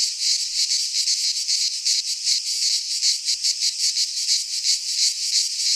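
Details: Greek pine-forest cicadas in midsummer give a shrill, grating drone, throbbing in quick regular waves about three times a second, with no birds or wind audible.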